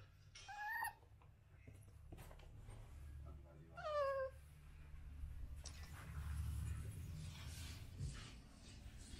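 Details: American Bully puppies whimper twice, short high cries with a falling, slightly wavering pitch, over a steady low rumble of room noise and some rustling.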